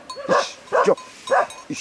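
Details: A lionhead Tibetan Mastiff, called bhote kukur locally, in Nepal, giving three short, deep, hoarse barks about half a second apart and then a softer fourth, with people talking nearby.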